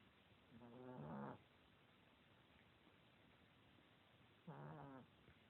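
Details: A fat, lazy pet Chihuahua asleep and snoring in 2016, giving two short, rattling, buzzy inhalations about three and a half seconds apart over a low steady background hum.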